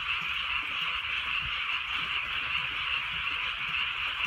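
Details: Frogs in a rainy countryside at night, a steady massed chorus of rapid high croaks merging into one buzzing trill, accompanied by gentle falling drizzle.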